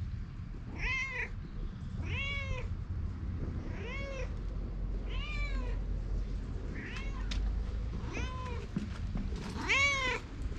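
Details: A stray cat followed outdoors gives seven clear, bowed meows, each rising then falling, roughly every one to one and a half seconds, over a steady low background rumble; filmed with a GoPro.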